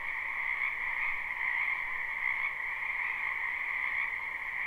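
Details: A steady chorus of frogs from a wetland in spring, captured live with no looping: rapid overlapping trills form a constant, high-pitched pulsing drone with slight swells in loudness.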